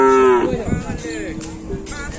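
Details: Cattle brought from Sapudi Island at an anniversary gathering; a short, strong moo lasting under half a second, followed by crowd noise, a faint tonal hum and murmuring people.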